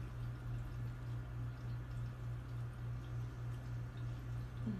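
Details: A low, steadily pulsing mechanical hum fills the room, with no animal voice heard.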